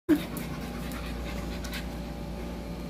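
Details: ASMR close-up of a French bulldog breathing heavily in a steady, low, rasping pant after a brief opening sound.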